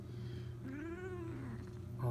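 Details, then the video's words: A Siamese Balinese cat, kept as a pet, utters a drawn-out meow that rises and falls, described as sounding like the word "bath", over a low indoor hum. "my smart Siamese kitty talks, says "bath""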